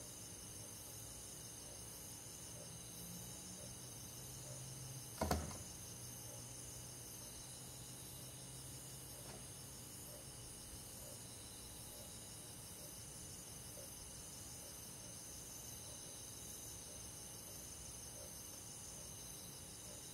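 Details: Crickets and other insects in a forest on a summer night, a steady high shimmering chorus of several overlapping continuous trills, with one sharp knock partway through and a low rumble underneath.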